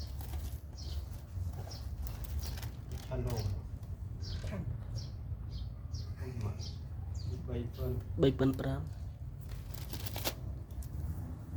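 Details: A mother cat keeps near her newborn kittens; brief rising mews with layered overtones come in clusters, loudest toward the end, mixed with rustling, scattered high chirps and a low background hum.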